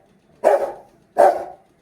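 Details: Rottweiler described as very angry, producing two heavy, hoarse barks about 0.75 seconds apart, each dying away slowly.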